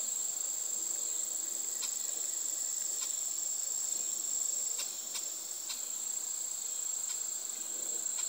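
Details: Mating chorus of cicadas in a backyard in Harmony, Indiana, USA, where white-tailed deer are eating. It is a continuous piercing high-pitched hum, even in loudness, with scattered faint ticks and rustles beneath it.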